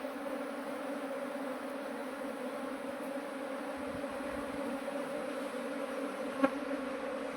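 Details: A steady hum comes from an absconded honey bee swarm as it is shifted into a modern hive. The even, continuous drone has one brief tap near the end.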